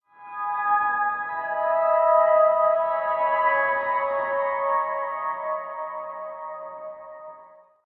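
A sustained, ringing musical tone like a singing bowl or synthesizer swells and slowly fades, with no animal calls.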